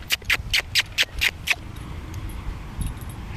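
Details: Two dogs at play, 13-week-old puppy Willow and Jack Russell cross Toy Poodle Scamp on their first meeting: about seven short, sharp high yips in quick succession, then quiet low rumbling background.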